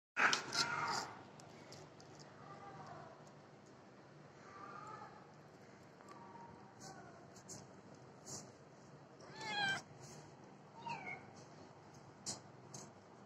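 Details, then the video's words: Domestic cat meowing indoors: a loud opening meow, then softer, wavering meows every couple of seconds, with a few sharper rising calls near the end over faint background hiss. "cat Babi"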